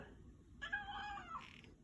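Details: House cat greeting its owner on arrival home, indoors: a loud, rich harmonic meow of about a second with a wavering, slightly rising-then-falling pitch and a brief breathy tail, after a woman says hello.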